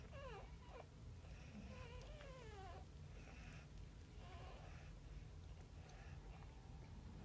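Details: A litter of ten Boxer, American Bulldog and Labrador puppies cries with thin, quavering whines that slide downward, several overlapping calls in a row, over a constant low background hum.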